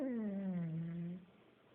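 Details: Sleeping pug named Buddy gives one loud, buzzy snore, a low droning tone that slides slightly downward for about a second before fading into quiet room hiss.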